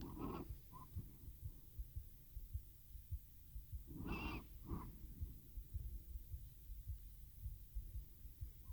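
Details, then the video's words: Domestic cat named Teo purring into a RODE NTG-3 microphone with a Zoom H6 recorder while falling asleep: a steady, deep pulsing rumble, broken by a breathy wheeze near the start and two more just past four seconds. "Кот мурлычет на микрофон и засыпает/The cat purrs on the microphone and falls asleep"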